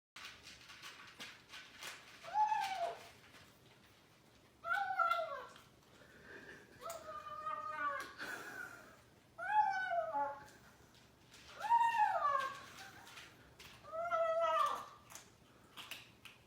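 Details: Kitten making funny noises while eating, six short wavering, nasal mewing cries with bent harmonics, spaced two to three seconds apart, with soft chewing clicks between them indoors.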